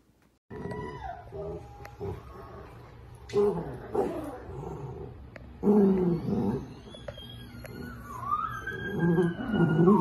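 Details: Dachshund puppies in a home compilation of funny moments, giving drawn-out whining and growling vocalizations with rising and falling tones, louder bursts near four, six and nine seconds, some squeaky higher notes between.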